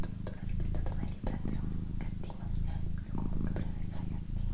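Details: A female pet cat purring indoors, a steady low rumble broken by brief pauses about every second as she breathes, with soft human whispering and faint rustles over the top.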